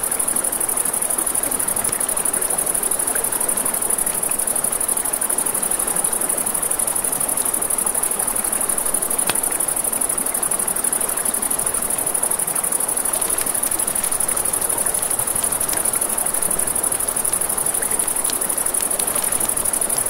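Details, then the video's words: A long, even chorus of crickets at night by a river, one bright high trill pulsing quickly without pause, joined by scattered fire crackles and a gentle river rush. "Crackling Fire, Crickets, Ambient Nature Sounds"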